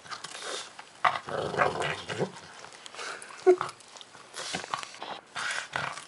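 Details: Milo, a pet pug, growls while eating squash indoors, a low rough rumbling repeated in short bouts, mixed with chewing noises and a man talking nearby.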